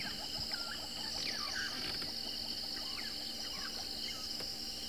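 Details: Many crickets still calling at sunrise on 10 March 2024 during a live game drive in Kruger National Park, forming a steady high shrill hum; two black-headed orioles trade liquid whistles and a hornbill calls.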